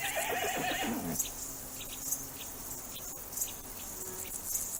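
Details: Domestic horse from a farm herd gives a short, wavering neigh that drops in pitch over the first second, then fades out, leaving steady insect chirring and faint clicks for the rest.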